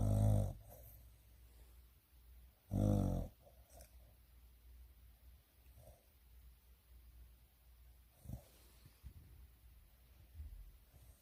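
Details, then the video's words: A dog asleep, giving two low, rumbling snores a few seconds apart, followed by quiet breathing and faint soft sounds in a still room. "코고는 멍 멍 이 a snoring dog"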